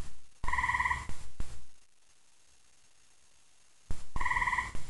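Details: Gray tree frog calling at night after dark in Central Indiana, very loud: two short pulsed trills, each under a second, roughly three seconds apart, with heavy low thumping noises between them.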